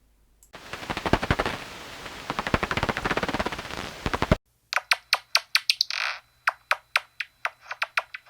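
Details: Daubenton's bats (Myotis daubentonii) feeding low over the surface of a lake, likely in Wales, heard through a bat detector: their echolocation calls are rapid, dry clicks crackling like burning grass stubble as they locate insects.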